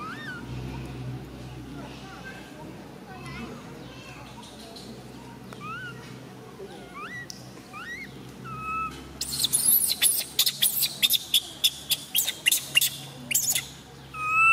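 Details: Tiny baby monkey MoMo, female, crying around a fall: scattered soft rising whimpers at first, then a burst of sharp, rapid, piercing screams toward the end, with low background rumble.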